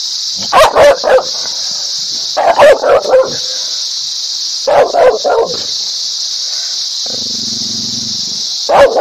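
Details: Dog barking loudly in short bursts of two to four rapid barks, separated by pauses of a second or more, with a steady high hiss throughout and a low droning sound near the end.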